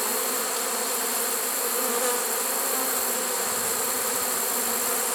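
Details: Late-season swarm of honey bees inside a swarm trap, recorded 1 September 2019: an even, thick buzzing drone from the massed insects, unbroken for the whole stretch, with a bright hissy upper layer and no other sounds.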